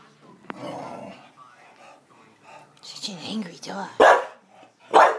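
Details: A bulldog at laser pointer play, making low grumbling vocal sounds before two loud, sharp barks about a second apart near the end, with human voices and a brief click early on.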